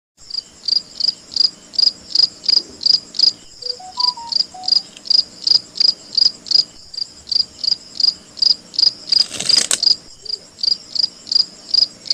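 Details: Captured cricket chirping steadily: short high-pitched pulses repeated nearly three times a second throughout, with a brief series of faint tonal notes early on and a short burst of rustling noise near the end.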